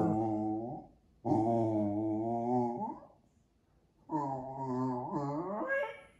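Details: Indoor Jack Russell Terrier 'dialogue' with its owners, two long sustained howl-like moans of about two seconds each, the second bending upward in pitch at its end, separated by a silent pause.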